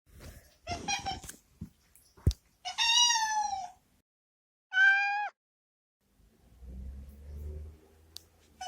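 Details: Boku, a pampered male cat once rescued as a stray kitten, meows in the washroom he dislikes, wanting to be let out; three harmonic, slightly falling meows of varied length, with faint rustling and a low hum near the end.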